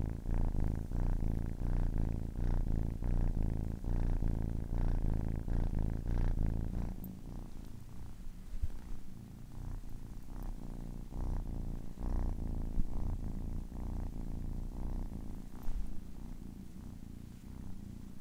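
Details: A 10-week-old kitten purring: steady low rumbling vibration, louder and denser in the first seven seconds, then softer with regular pulsing breaths about one and a half per second.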